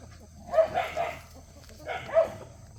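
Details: Playful puppies of Cheondol give two bursts of high, yelping barks about one and a half seconds apart, each a quick cluster of two or three yaps, with a low background hum.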